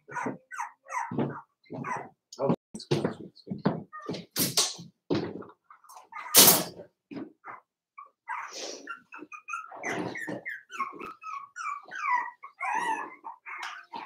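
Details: Four-week-old Cavalier King Charles Spaniel puppies from Daisy's litter in their indoor pen. Thumps and shuffling fill the first half, then high, squeaky whimpers and short yips rise and fall, with some faint voices.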